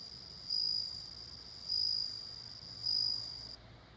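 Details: Bell cricket singing: clear, high, ringing tonal bursts of about a third of a second, repeated roughly every 1.2 seconds, three bursts over a faint steady background hiss.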